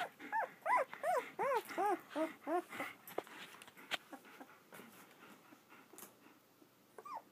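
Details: Fourteen-day-old German Shepherd pups of Vom Barron's Pride in Florida let out a quick series of about eight rising-and-falling whimpering squeals, then near quiet with soft movement and one last whimper near the end.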